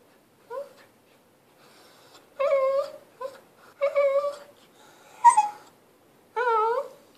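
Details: Pet Lhasa Apso whining because it wants to play while its owner is busy with a camera. Short, high, wavering whimpers with clear tonal harmonics come in separate bursts, some drawn out and bending in pitch, with quiet gaps between.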